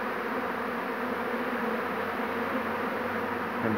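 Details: Swarming honey bees on 2 June 2019, the day's second swarm being taken, crawling over everything: an even, unbroken low hum of many wingbeats.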